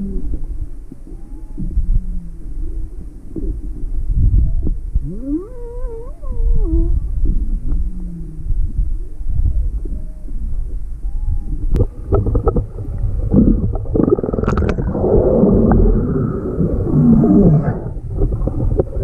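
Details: Juvenile humpback whale at Maui, February 17, 2020, curious and nearing a boat with motor off, mother nearby; short rising and wavering harmonic moans early, then broad rushing water-like noise dominates.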